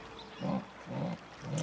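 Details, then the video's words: Female jaguar in the wild wetland of Brazil's Pantanal calling to attract a male for mating; three low, hoarse grunting bursts about half a second apart, over quiet forest background. "Another female jaguar is calling a male to her."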